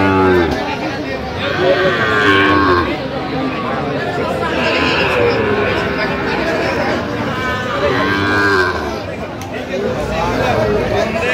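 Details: At a Kurigram cattle market in Bangladesh, 9 November 2025, Sahiwal bull calves low amid bargaining: a couple of rich harmonic moos, roughly two seconds long, separated by several seconds of dense voices and market bustle.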